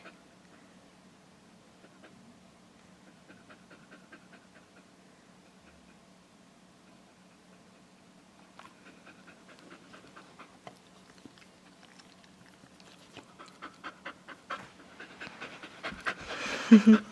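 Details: Buttermilk, a female dog rescued from a shelter hours before she was to be killed, pants steadily and softly over a low constant hum, with rustling and handling noises growing louder toward the end.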